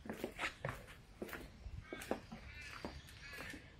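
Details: Gaga, a Russian Blue cat who is hungry, meows indoors: a wavering, drawn-out tonal cry late in the clip, after scattered taps, footsteps and knocks in a small room.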